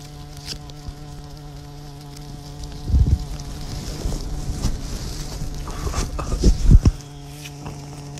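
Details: Bumblebee recorded up close, a steady low droning buzz with a rich stack of overtones sustained through the whole stretch, plus rustling and handling bumps in the middle seconds.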